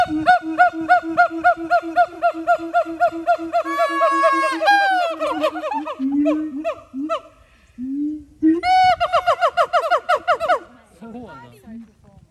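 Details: Captive siamang at Dubbo Zoo in Australia gives a rapid series of short, evenly spaced barking hoots. Rising, wailing whoops break in partway through, and the calling slows to scattered low notes near the end.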